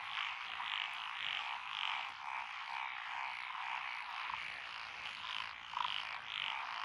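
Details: Night-style wall of frog calls from lotus rice fields on a country lane in Echizen, Fukui, Japan, 12 June 2021. Several species, including Japanese tree frogs and Schlegel's green tree frogs, give bright, bubbling croaks in overlapping bursts.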